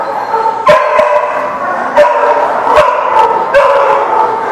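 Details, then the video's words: Dogs at a barking lot recorded on 30 December 2019; a steady din of overlapping barks and yelps, punctuated by sharp louder barks roughly every second. "The Barking Lot"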